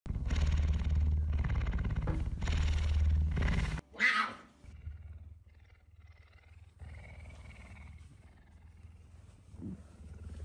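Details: Captive pet puma at home, especially affectionate early in the morning around 5 am, waking its owner. Deep steady pulsed rumbling fills nearly four seconds, then a short rustling burst and a quieter low continuous rumble with faint background noise.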